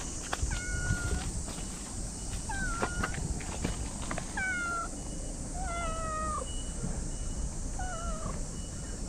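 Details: Stray cat that talks a lot while stroked outside, repeating short, slightly falling meows about every one to two seconds, five or six in all, over a constant high insect-like hiss and low background rumble.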